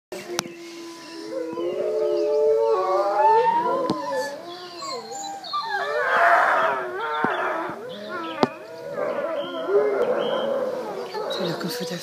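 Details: Several wolves in a zoo howling together: overlapping smooth tonal howls that glide up and down and waver, joined midway by a rougher, noisier chorus, with occasional sharp clicks.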